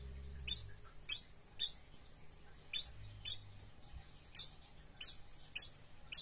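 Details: Young degus, frightened and scolding, give sharp, very high squeaks, often paired, about once a second.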